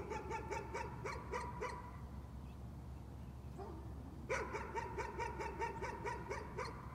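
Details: A dog's nuisance barking: two quick strings of sharp, yappy barks, about seven in two seconds, broken by a pause of over two seconds, with a faint steady hum underneath.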